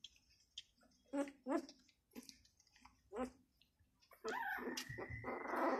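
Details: Six-day-old Labrador Retriever puppy giving a few soft, short, squeaky whimpers at irregular gaps, followed by loud rustling and handling noise with a thin whistling tone over the final two seconds.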